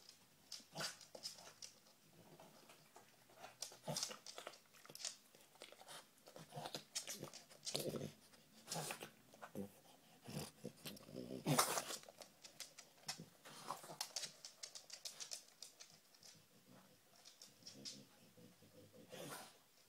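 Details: Female dog hunting for treats indoors: rapid, uneven bursts of sniffing mixed with crunchy chewing and clicks, busiest around the middle, a steady scuffling rustle throughout.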